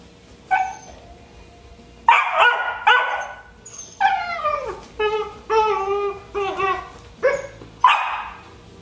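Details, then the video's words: Begging for a rawhide held by Nixie, Rhodesian Ridgeback pup Juno, 12 weeks, lets out drawn whimpers with falling, wavering pitch mixed with short yelps, in a steady string of complaints. "Ridgeback puppy begging for rawhide"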